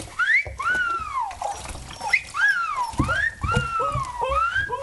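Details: Arching, sliding whines repeated about every half second from Mercy, a male low-mid content wolfdog, protesting his first bath; water sloshes underneath.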